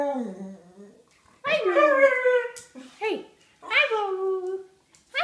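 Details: Pet dog indoors greeting its owner, giving drawn-out whining howls in three bursts, the pitch sweeping up then sliding down, with short pauses between and a clipped yelp at the end.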